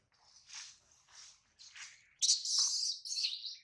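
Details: A baby monkey, held by a small monkey, cries because it misses its mother and is hungry. Three soft, high, wavering wails rise and fade, followed by a louder, shrill squealing burst that breaks off and resumes.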